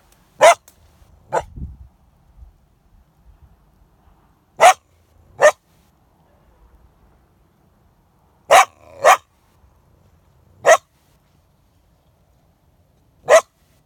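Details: Coyote caught in a live market snare, trapped for the live market, giving sharp, short, explosive barks at irregular intervals, eight in all, some in quick pairs, against a quiet background.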